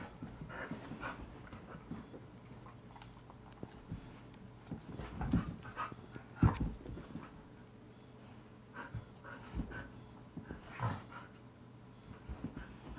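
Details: Stray male Rhodesian Ridgeback named Blaise, found around 9:00 AM in a Greenville, South Carolina subdivision, panting softly in irregular breaths with occasional louder huffs over a low steady hum.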